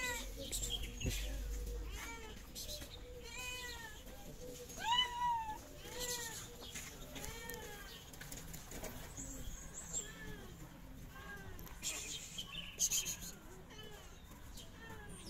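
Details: Several hungry stray cats, two of them pregnant, meow repeatedly on a street in Morocco while waiting for food. Short arched cries overlap and tumble together, with clicks, rustles and low background hum.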